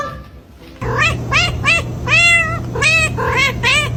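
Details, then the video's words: Cat producing a run of short, arched meows in quick succession, then a longer wavering one, over a steady low electrical hum. "Various strange cat sounds"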